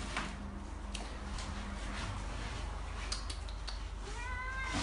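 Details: Domestic cat giving one short, rising meow with clear overtones at the very end, after several seconds of clicks, knocks and low room rumble.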